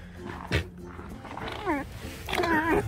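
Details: Tame fox complaining while running around a kitchen, giving short wavering, whiny calls in two bursts, as a man talks to it in Russian.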